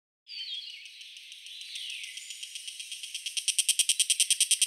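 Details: Hiko higurashi cicada, a 32 mm species from Taiwan: after a soft opening buzz, a high hissing drone builds into loud, evenly spaced rasping pulses about three per second, growing stronger toward the end. Faint descending whistles sound behind it.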